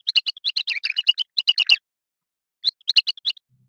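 A male house mouse's ultrasonic courtship song, pitched down to sound birdlike: a rapid run of about fifteen chirpy whistled notes, a pause, then a shorter burst.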